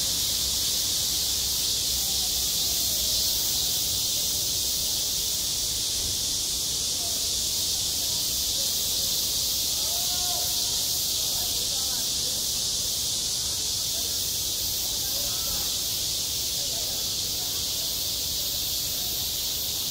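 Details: Cicadas singing at a school playground in midsummer, self-recorded: a dense, unbroken high-pitched buzzing drone holds steady for the whole stretch, with faint, soft lower sounds underneath.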